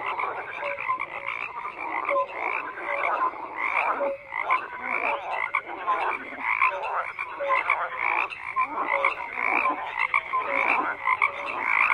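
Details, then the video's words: A thick chorus of many frogs croaking together, harsh pulsed croaks overlapping constantly, broken by brief clear tonal notes, one loud continuous mass of calls without pauses. "FROGS CROAKING"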